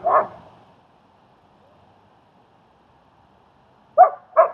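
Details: German Shepherd at a dog training and socializing session in Queens, New York, helping a fearful dog come out of its shell: one bark, about four seconds of quiet, then two quick barks close together.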